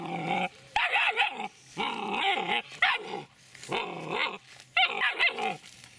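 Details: Dobermann puppy aged seven weeks and three days gives four drawn-out, rough growling barks with wavering pitch, each lasting about half a second to a second, close and loud.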